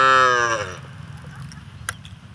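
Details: A cow eating grass in a village rice field gives a short, rich moo that slides slightly downward and fades within a second.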